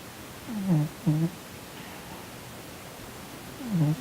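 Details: Sonny, a plump Korean shorthair cat, sleeping indoors and twitching as if in a nightmare, snores in three short, low, throaty rasps that slide downward, two close together near the start and one more after a quiet pause.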